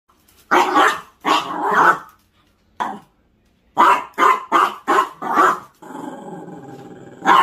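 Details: Pet Chihuahua indoors, barking and growling at a broom it hates while the room is cleaned; harsh drawn-out growly barks, then a rapid run of five sharp barks and a rumbling growl.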